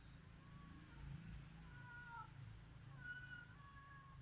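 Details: Village cats in Cambodia, recorded on a Samsung mobile phone: several short tonal meows, some slightly rising or falling, over a steady low rumble of background noise.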